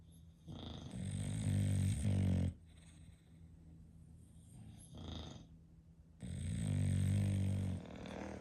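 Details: English Bulldog snoring indoors while asleep, from a home with five bulldogs; two long, loud rattling snores, each about two seconds, separated by a quieter breath, low and harsh with a buzzy texture.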